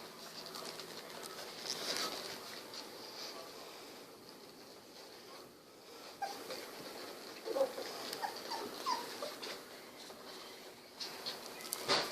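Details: Sixteen-day-old Golden Retriever puppies, eyes just opened, moving about and snuggling; soft thin whines and squeaks scattered through, clustering in the second half, with rustling of bodies in between.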